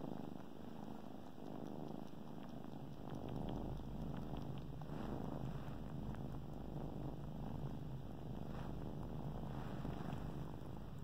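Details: Suckling kittens on a blanket produce a deep, rhythmic purr that grows fuller after a few seconds, pulsing roughly three to four beats a second with scattered soft clicks.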